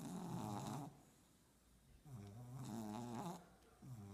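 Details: Sleeping French bulldog puppies snoring: a long low rasping snore, a quiet gap, then another drawn-out harmonic snore and the start of a third, heard indoors.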